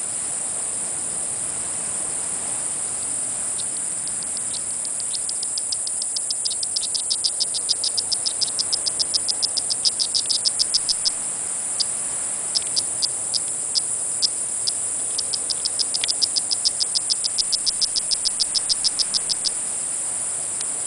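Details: Strawberry poison frog on Bluff beach, Isla Colon, Panama: long runs of short, sharp, high clicking chirps in rapid bursts, pausing briefly and resuming, over a steady high insect hiss.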